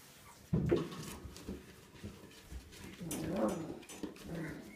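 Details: A 22-day-old Siberian Husky puppy, born 13 April 2016, gives soft whimpers and low grumbling vocalizations indoors.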